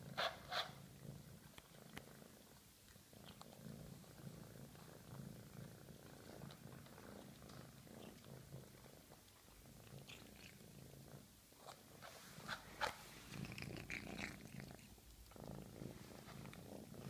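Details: A hungry female cat purrs through a long meal, her deep rumble pulsing on and off beneath frequent clicking chews and a few louder smacking bursts.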